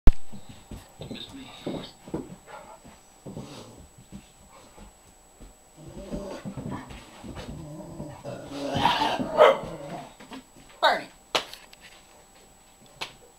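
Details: Ansel, a six-year-old senior Great Dane up for adoption, plays with Nubbs indoors. Low rumbling growls and grunts come in short bursts, swelling into a rougher, louder stretch midway, then a few sharp knocks and thumps near the end.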